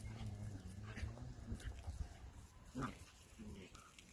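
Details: Playful miniature dachshund, a sausage dog, makes a low rumbling growl that holds steady for about two seconds. A brief, sharper vocal burst follows near the three-second mark, with soft background noise throughout.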